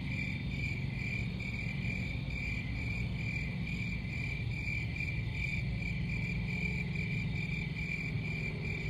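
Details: Steady shrill cricket chirps pulse on and on, evenly spaced and unchanging in pitch, while a dense low rumble runs beneath throughout.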